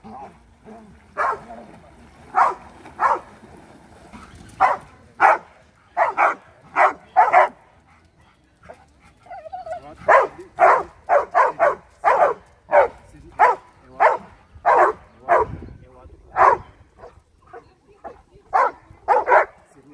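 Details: Two Labrador Retrievers on 23 May 2020 give a long run of steady, repeated deep barks, some in quick clusters, one short whine-like pause near the middle, with little else heard.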